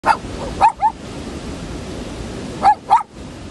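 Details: Newfoundland dog giving short sharp barks, two pairs of quick woofs separated by a pause of about two seconds, over steady low background noise.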